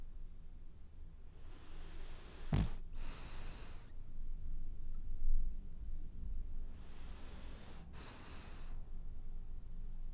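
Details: French Bulldog dozing and dreaming, snoring in two raspy breaths about five seconds apart, each with a sharp snorting click mid-breath, over a soft constant background hum indoors.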